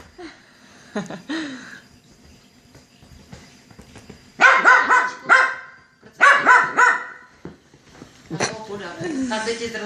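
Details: Dog at home after cleaning a cat, wet and excited; two clusters of rapid loud barks, three or four each, between stretches of a man talking in Czech.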